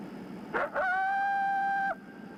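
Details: A coyote gives a warning bark howl, aggressive barks followed by a howl, alerting other coyotes that something is wrong; such callers are typically 100–200 yards away after hearing, seeing or smelling a person.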